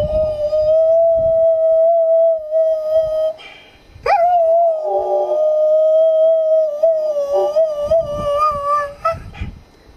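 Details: Kuvasz dog howling along with its owner during a singing session in April 2011, a gentle rather than forceful howl: one long steady tonal note, a brief break near four seconds, then another sustained, slightly wavering howl with clear overtones.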